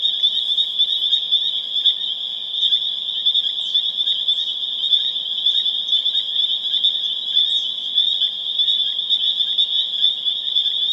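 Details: Dense spring peeper chorus recorded April 27, 2011 in Harvard, Massachusetts: countless high whistled peeps merge into a continuous shrill ringing band, with brief rising peeps standing out roughly every second or two above the wall of sound.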